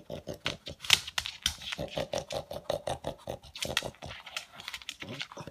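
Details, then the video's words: A male pug snorting like a noisy vacuum cleaner while tracking down leftover food pellets; distinct, rhythmic, raspy puffs follow one another several times a second, with one sharp loud snort early on. "My Pug Has Turned Into A Noisy Vacuum Cleaner"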